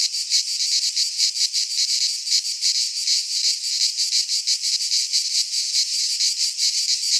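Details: Cicadas singing in midsummer in a pine forest in Greece: a dense, continuous buzzing chorus of shrill rasping pulses, throbbing several times a second without pause, with no other animals or people heard.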